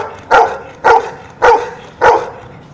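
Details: Domestic dog doing arithmetic for its owner barks its answer: four short, loud, clipped barks spaced roughly half a second apart, clean with little background noise.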